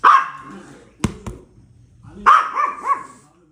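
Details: A puppy gives two sharp, bright barks about two seconds apart. The second bark trails into a few quick wavering yelps. Two short knocks are heard in the pause between them.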